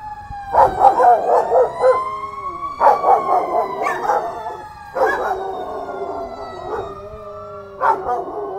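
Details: Two Belgian Malinois, Herc and Frey, howl along with a passing siren: wavering, yodel-like cries in bursts of about two seconds over a steady rising and falling siren wail, with short breaks between the bursts.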